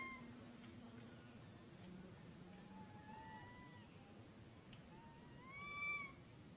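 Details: Baby monkey foraging for wild fruit beside its mother high in a tree; soft, clear tonal calls that slide slightly upward, spaced a second or so apart, ending in a louder rising note, with constant low background hiss.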